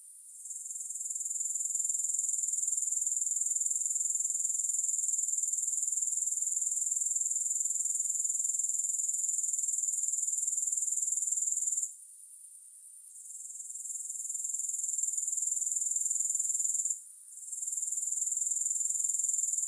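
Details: Grasshoppers in a long recording with no music: a steady, high, shrill buzzing trill that drops out briefly twice, near twelve and seventeen seconds, then resumes at full strength.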